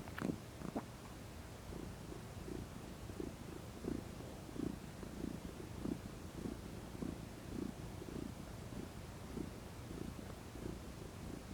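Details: Relaxed female house cat basking in sunshine and purring: a soft, low rumble pulsing quickly and somewhat unevenly, nearly twice per second, opening with a couple of brief sharp clicks.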